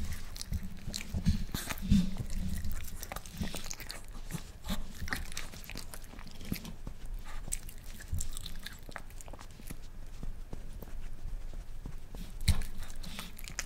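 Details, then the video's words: Pet Miniature Pinscher, a male, trying boiled egg for the first time: sharp crunchy bites and wet chewing come in uneven bursts, loudest early on, then sparser clicks over a constant low background hum. "ASMR Dog Reviewing Food | Boiled Egg | Miniature Pinscher"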